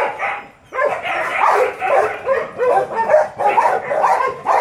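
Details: Seven puppies in a litter yelp and whimper together, the chorus surging and fading in pulses about every half second after a brief quiet start.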